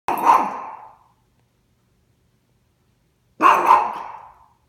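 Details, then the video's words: Oliver, a Yorkshire terrier, barking at the vacuum cleaner: two sharp, loud barks about three seconds apart, each with a short fading tail, separated by near silence. "Oliver the Yorkie Barking at the Vacuum"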